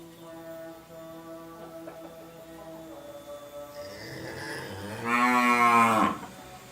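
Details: Ailing cow, recently injected, gives one strong, hoarse moo near the end after a low, steady droning hum with a few soft thumps.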